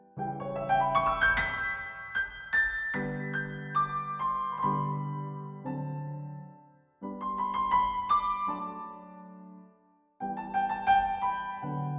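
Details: Piano music plays alone, with rippling arpeggios and held chords separated by two short pauses.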